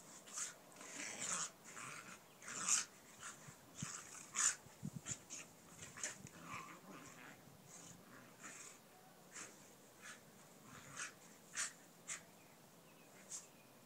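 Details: Mastiff Tug, aged 3, wrestling with Bob, a Mini Australian Shepherd: bursts of breathy wheezing and hard panting roughly every two seconds, with scuffling thumps and snorts between them.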